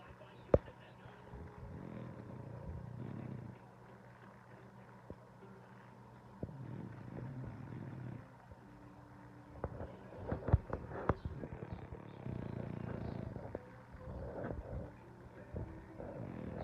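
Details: Female French Bulldog snoring while asleep, in soft, low, rasping breaths that come roughly every five seconds, with faint clicks and rustling between them.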